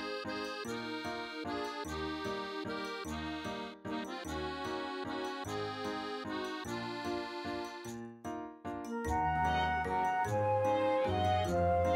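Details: Bouncy accordion music plays throughout, with no animal voice heard. Rhythmic chords repeat steadily, and the tune grows fuller near the end.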